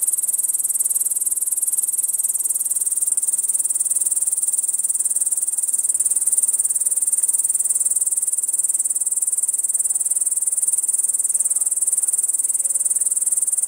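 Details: A long-winged bush cricket (Tettigonia dolichoptera), perched atop tall grass in lowland grassland, sings a steady, high-pitched buzzing trill that runs without a break.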